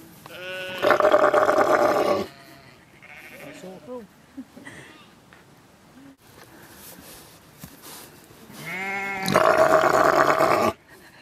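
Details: Lamb and ram sheep calling back and forth: two loud, drawn-out, quavering bleats with rich harmonics, each over a second long, separated by about seven seconds of quieter bleats and people talking.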